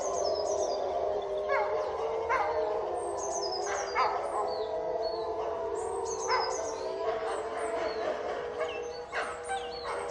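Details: Wolves kept in a cage, pack howling and fighting; a held howling drone underneath repeated sharp yips and snarling bursts every second or two.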